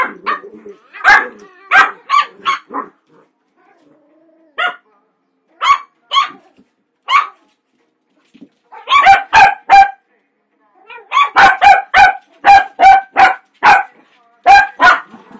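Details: Indoor play fight between a small Cavalier King Charles Spaniel and two larger dogs. Sharp, yappy barks come in bursts separated by pauses, and the second half has rapid volleys of barks.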